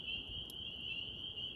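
A chorus of spring peepers fills the background, many high, piercing peeps merging into a continuous shrill ring. Faint low murmuring sits underneath.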